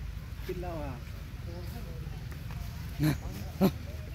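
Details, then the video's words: Baby monkey crying while its mother breastfeeds: a few thin, wavering whimpers that slide downward in the first second, a softer short whine later, then two sharp clicks, all over a steady low rumbling background. "Cute baby mommy cries during mommy breastfeeding"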